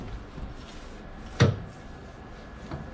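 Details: A single short knock, like a drawer or cupboard shutting, breaks an otherwise quiet indoor room hum.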